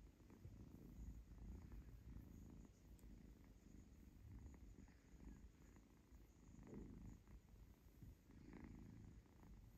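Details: Little kitten named Zlata purring with pleasure while being stroked and playfully biting fingers; steady low rumbling purr in pulsing breaths, with a few soft rustles.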